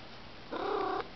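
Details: Indoor house cat waiting for treats utters a brief, steady, tonal half-second meow against a quiet room background.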